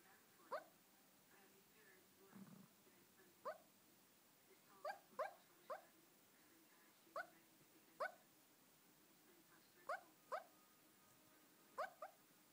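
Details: A female Shih Tzu lying on a sofa gives soft, high squeaks and tiny whimpers at irregular moments while dreaming in her sleep.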